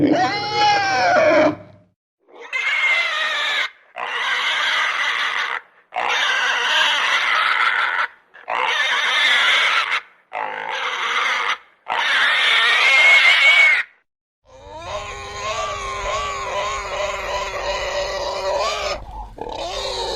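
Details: Pig giving a run of loud, shrill squeals, each lasting one to two seconds, separated by short silences, ending in a longer wavering scream over a low hum.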